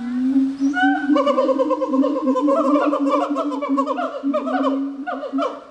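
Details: Gibbon giving a continuous run of tonal calls: a held low note beneath a quickening series of short rising and falling slides that build in pace across the phrase.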